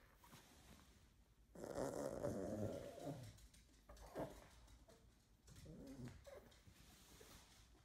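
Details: Nine-year-old female toy Poodle at play with a toy, giving a long raspy snorting burst followed by shorter rough snorts and grunts, indoors in a small room.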